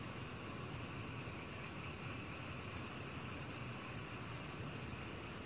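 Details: Black cricket calling, from a 2020 national biological resources recording: clear high chirps repeated about four times per second in a steady train, with a short pause near the start, over faint low background hiss.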